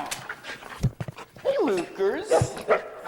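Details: Luca, a very talkative foster dog, lets out wavering, harmonic whining vocalisations that rise and fall in pitch over about a second, mixed with a person greeting him and telling him to calm down.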